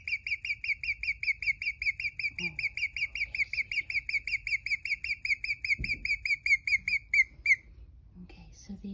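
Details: A pregnant female guinea pig, newly rescued after being abandoned outside a pet store and left with her companion in a temporary enclosure, chirps: a fast run of high, bird-like peeps that suddenly stops.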